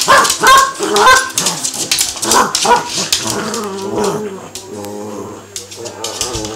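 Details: Two Cavalier King Charles Spaniels play fighting indoors, not real fighting, in a bout lasting about an hour: rough overlapping growls and snarls with short yelping barks, dense and uneven, easing off toward the end.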